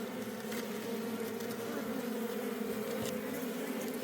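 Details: Wild forest honey bee colony disturbed during honey harvesting, its bees to be moved home: an unbroken, thick buzzing drone from a crowd of bees fills the whole stretch, with light tapping noises.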